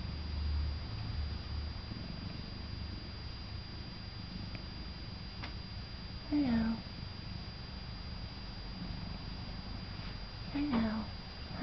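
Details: Male domestic cat that greets people by quacking, reared by an opossum in his first year, lying contented while being loved: two short downward-sliding nasal quacks several seconds apart over continuous low purring.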